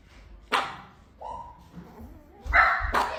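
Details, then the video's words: Pet dog with a single loud bark, a short thin whine, then two quick rough barks close together near the end. "Top 5 funny & unique dog barks"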